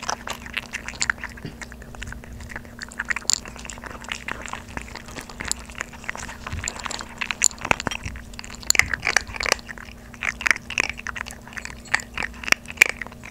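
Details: Maltese puppy siblings, 3.5 months old, eat dry kibble at home for the first time instead of soaked food, recorded up close. Continuous sharp crackling chews come in quick irregular bursts over a faint constant hum.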